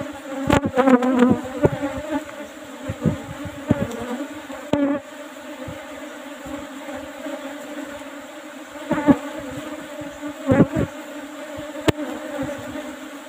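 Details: Continuous hum of Asian honey bees during a honey harvest from an old-fashioned box hive with an asbestos lid; the deep, even drone is punctuated by bursts of knocking and scraping near the start and again toward the end.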